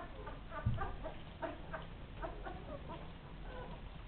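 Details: Ten-day-old Rhodesian Ridgeback pups give a quick run of short, soft squeaks and grunts, several each second, with a low thump near the start against a hissing background.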